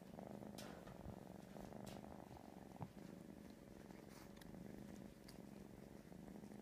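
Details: Kitten purring steadily while an older cat bathes it, a soft continuous low rumble with occasional faint rustling and licking sounds throughout.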